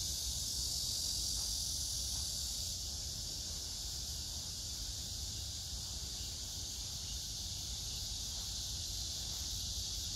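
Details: Continuous droning of cicadas and other grass insects on 9 August 2024 at Hwarang Park, Danwon-gu, Gyeonggi-do, near the Gyeonggi Museum of Art under flowering pink crape myrtle; a high, sizzling wash with slight swells, over low ambient rumble.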